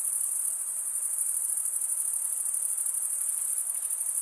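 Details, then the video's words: Male crickets stridulating produce a continuous, piercing high trill, even and unwavering, with a slight pulsing shimmer and only a quiet background hiss. "Most relaxing cricket sound for 8 hours"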